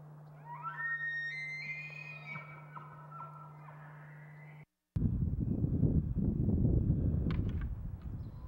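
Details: Bull elk bugling in the mating season: a high, whistled tone that climbs in stepped glides with bright overtones for about four seconds, then breaks off into rough, low rumbling noise, over a steady low hum.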